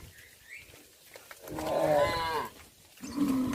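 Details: {'caption': 'Cattle returning to the barn on a village farm in the afternoon; after quiet rustling, one loud, drawn-out harmonic moo swells and fades, followed by a shorter, lower moo.'}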